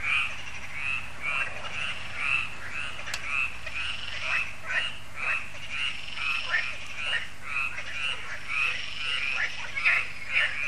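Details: Yearly frog concert at Lac de Sabatte, France, in the evening; a crowded chorus of harsh pulsed croaks, roughly two per second, overlapping from many callers in a steady rhythmic throb.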